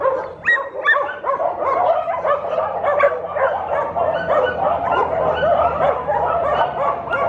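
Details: Dog giving a dense stream of high yips and barks, several per second without pause, with whining tones between.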